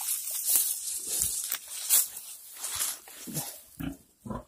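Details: Domestic pig during farrowing on 28 July 2020: short, rough grunts at irregular intervals, several per second at times, over a steady bright hiss of background noise.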